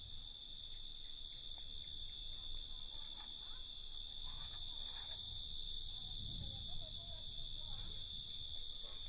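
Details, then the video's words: Crickets at night: a steady, high-pitched trilling chorus that runs unbroken through the clip, with several brief higher chirps layered on top and a soft low rumble underneath. "Night Cricket Sound"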